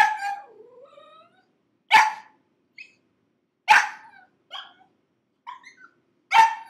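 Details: Gizmo, a six-month-old pug puppy, screaming after five minutes shut in a crate: loud high yelps roughly every two seconds, each breaking into a short falling whine, with softer squeaks between.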